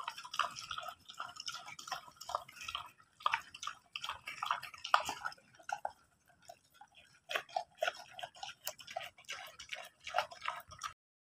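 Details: Chinese pigs crunch apples, with wet, crisp bites and smacking chews in quick irregular bursts.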